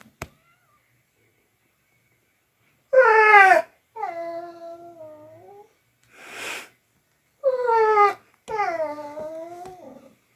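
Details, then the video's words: Strange noises from a dog: a sequence of short yowling whines with falling pitch, some drawn out and trailing off, plus a brief breathy sound in the middle. "Crazy Dog Makes Strange Noises Again"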